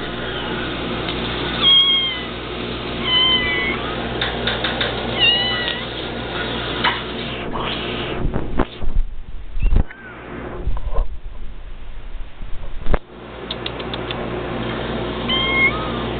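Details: Two pet cats, Sprite and Cody, meowing in response to being called; several short rising-falling meows scattered through, with thumps and handling noise in the middle and steady low background hum.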